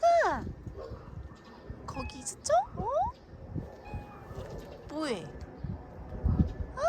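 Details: A cat met in an autumn forest on Jeju gives several short meows that slide downward, spaced a couple of seconds apart, amid people talking and footsteps on the forest floor.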